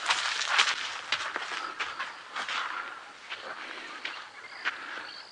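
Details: Monkeys near a safari tent at sunrise in a South African game reserve in February give sharp, harsh alarm calls in quick, uneven bursts, warning of a nearby predator.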